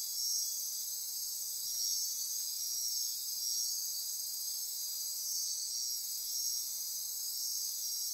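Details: Midnight rainforest insect chorus from the Osa Peninsula, Costa Rica, near Corcovado National Park: continuous shrill trilling and buzzing layered at high pitch, gently pulsing in volume, unbroken for the whole stretch.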